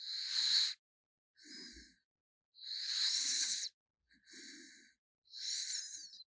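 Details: Gaetongi the raccoon sleeping and snoring loudly, with drawn-out whistling, hissy breaths and softer rattling ones in a slow, uneven cycle.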